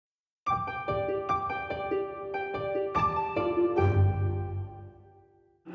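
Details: Plucked harp-like melody with ringing notes over a soft low accompaniment, fading out before a sudden new sound at the end; no animal sound.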